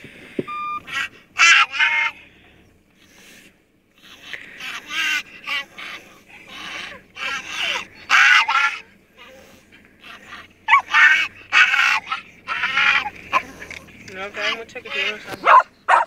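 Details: A female Yorkshire Terrier, who does this on arriving home or at a forest, makes a run of short, nasal, wavering yowls that bend up and down like a spoken "mama"; a person speaks briefly between calls.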